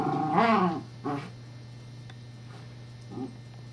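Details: Evangeline, a pet Scottish Terrier, plays with her teething pacifier toy; a loud drawn-out harmonic bark-whine opens, then a shorter bark, followed by quiet faint grumbles over a constant low electrical hum.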